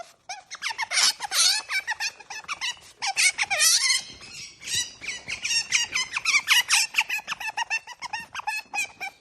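An otter gives rapid, high-pitched chirping squeaks, bird-like and bursting in quick irregular runs, with short sniffing breaths between.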